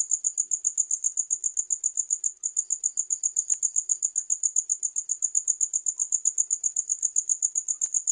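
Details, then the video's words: Crickets keep up a continuous series of sharp, high chirps, almost four per second, with a short dip in loudness midway and scattered faint clicks. "The Most Effective Sound of Crickets to Repel Loud Rats"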